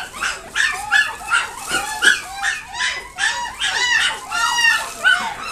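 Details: Chihuahua at a pet shop in Nagoya, Japan, giving high, whining yips with bending, harmonic-rich tones, about two per second in a steady, insistent series without pause.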